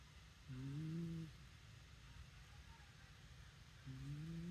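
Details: Sleeping Shiba Inu gives low, throaty snores, one lasting nearly a second early on and another beginning just before the end, each with a gently rising tone above a soft background rumble.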